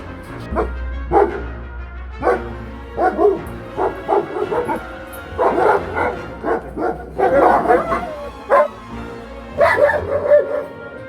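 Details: German Shepherd dog barking in short bursts, a dozen or so barks spread over eleven seconds, some in quick doubles, over a steady low musical hum in the background.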